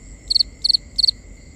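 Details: Three quick bursts of a cricket's high, triple-pulsed chirp, evenly spaced, ring out at night over a thin constant trill.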